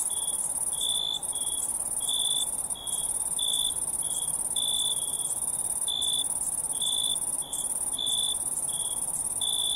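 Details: Crickets chirping at night: a steady, piercing high shrill drone beneath a layer of short, lower chirps that pulse irregularly, roughly one to two per second, with no other sounds.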